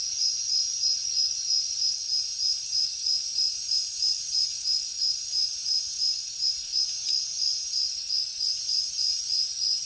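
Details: Crickets chirping through a jungle night, a bright piercing pulsed trill repeating steadily around three times a second beneath a soft higher hiss of other insects.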